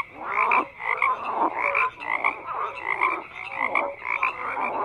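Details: Frogs croaking together in a dense chorus, overlapping rasping croaks pulsing in bursts about once a second, with short clear tonal notes threaded through the din and no other sounds.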